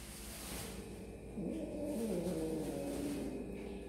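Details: One long, wavering meow from a kitten eating snacks rises and falls in pitch over a noisy background with a faint rumble.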